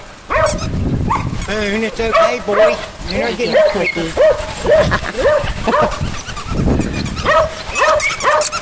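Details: Puppies playing together, giving many arching whiny yelps and squeals that rise and fall, closely spaced over several seconds, with human voices talking throughout.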